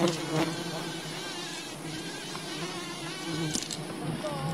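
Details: Droning of a wild bee colony while honey is gathered from it, a continuous low buzz with stacked harmonics and a few faint whining tones, plus a brief crackle midway.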